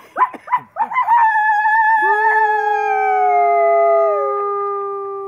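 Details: Gray wolf at Wolf Park on Howl Night: a few quick rising yips, then a long steady howl holding one pitch for about three seconds before slowly tapering, with a higher voice briefly joining.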